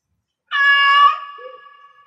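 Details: Single long meow from a cat in heat, starting abruptly and holding a steady, strained tone before trailing off into a faint echo.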